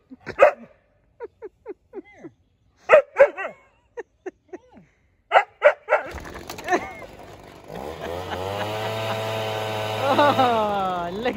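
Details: Juno, a Siberian Husky puppy, reacting to a leaf blower: clusters of short, bending whine-like yips and woos. The blower's loud, steady engine drone then starts and mostly masks a few further brief whines.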